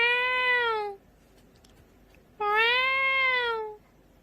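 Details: Cat, described as sounding scary, giving two drawn-out meows about a second or more each, rising then falling in pitch with rich harmonics, separated by a short quiet pause in a small quiet space.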